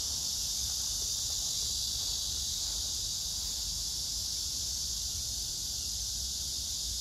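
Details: Unbroken high-pitched buzzing from cicadas, mixed with grass insects, in Hwarang Park, Choji-dong, Danwon-gu, Gyeonggi Province, recorded 9 August 2024 among blooming pink crape myrtle. The dense whirring stays level from start to finish, with little else audible.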